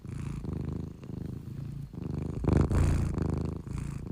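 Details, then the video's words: A cat sleeping soundly and snoring: low, rumbling, purr-like pulses in rhythmic bursts of roughly a second each, swelling louder near the middle, with faint room hiss between breaths. "the cat sleeps soundly while snoring"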